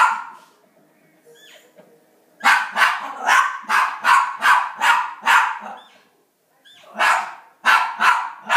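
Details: Rat terrier indoors barking while watching elk hunting on TV: a burst of sharp barks, about eight in quick succession, a short pause, then three or four more.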